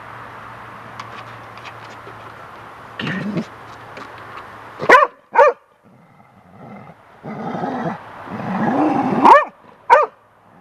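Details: Golden retriever Lacy, young, reacting to a large bird feather blown by wind on the deck: two quick barks, then rustling and wind noise, then two more barks near the end.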